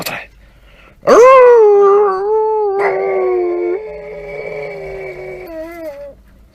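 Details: House dog asking to go for a walk lets out a loud rising howl that settles into a long, even tone. A second steady higher tone overlaps it, and the howl fades out at the end.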